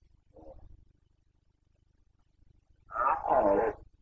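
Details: Roar of a Carpathian red deer stag during the 2021 rut in Bucovina: a faint short groan first, then after a pause a loud, harsh, harmonic bellow lasting almost a second.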